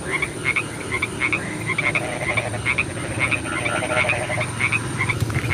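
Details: At night in the rain, many frogs croak together in short, quick notes repeated rapidly and overlapping, forming a busy chattering chorus over steady hissing background noise.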